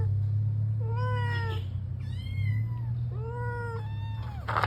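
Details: Drawn-out pleading meows from a Persian cat that wants to go out, three long harmonic cries in quick succession, the middle one higher and arched, with a constant low hum in the room behind.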